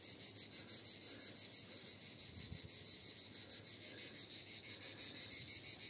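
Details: Cicadas in Vidauban, France, 2024, producing an intense high buzzing that pulses regularly around three times per second, with a brief low thump midway and light background noise.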